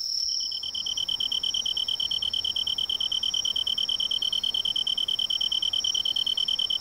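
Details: Tree cricket in autumn woodland beside a river: a lower pulsed chirping repeated about three times a second alongside a constant higher trill from another insect.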